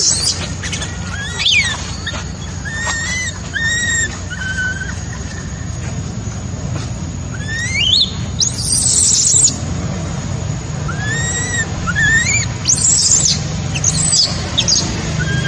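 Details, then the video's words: Crying of a baby macaque abandoned by its mother: scattered rising and arched whimpers, some sliding sharply upward, mixed with shrill high squeals in bursts, against a constant low hum. "Poor baby monkey was abandoned by mother monkey, crying heartbreakingly"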